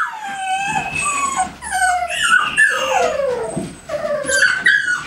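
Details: At GaidJewel's kennel, American Staffordshire Terriers utter drawn-out, sliding whines and howl-like cries. Two or three voices overlap, with a short lull near the middle before the calls resume.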